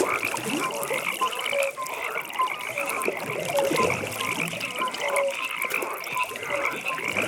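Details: Pond frog chorus at night, with steady high buzzing trills underneath and clear, short, whistle-like croaks at mid pitch repeating irregularly from several callers.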